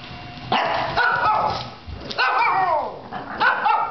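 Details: Shih Tzu barking at a vacuum hose indoors: a few harsh barks with falling harmonic tones, spaced about a second apart, over a steady hiss.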